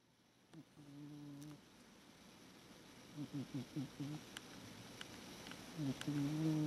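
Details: Sleeping cat named Fukusuke snoring or breathing in sleep: a low buzzy harmonic snore near the start, then a quick run of five short pulsed snorts, and another drawn-out buzzing snore at the end.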